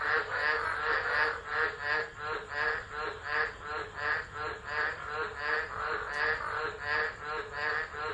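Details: Chorus of tropical frogs calling during a tropical low storm at Driver, Northern Territory, Australia, on 13 December 2013, captured by a phone set down and left; dense pulsing croaks swell and fade about every half second, overlapping voices.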